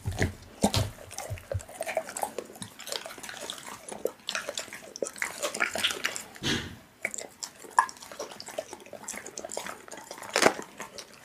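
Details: Pit bull eating raw meat, close wet chewing and tearing with irregular clicks and smacks, sharp bursts near the start and around ten seconds, quiet room background.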